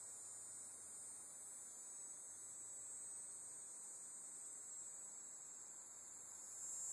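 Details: Dog-day cicada (Tibicen canicularis) calling at the Bohemia Equestrian Center, Sycamore Avenue, Bohemia, New York, on 6 September 2012; one unbroken, high-pitched, steady buzzing drone throughout, swelling slightly louder at the very end.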